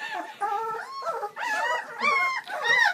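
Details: Bernese Mountain Dog puppies (seven, born Valentine's Day 2013) at their first feed on Mothering Sunday: overlapping nasal whines and yelps, some held steady, some climbing sharply in pitch toward the end.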